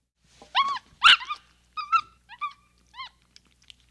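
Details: Capuchin monkey lets out a loud, rough squawk among several thinner, rising whines and chirps, then fades to faint clicks.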